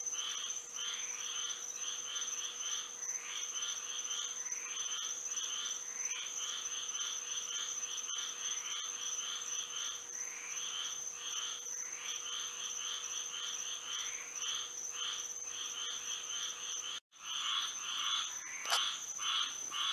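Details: Frogs singing through a Florida night under moonlight, many overlapping short chirps forming a rhythmic chorus near a hundred calls a minute, a high steady whine behind, broken by a brief dropout and click near the end.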